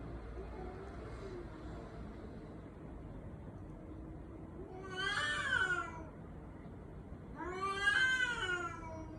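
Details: Domestic cat meowing in a voice said to resemble a human baby's cry: two drawn-out, wailing meows, each rising then falling, over a steady low background hum.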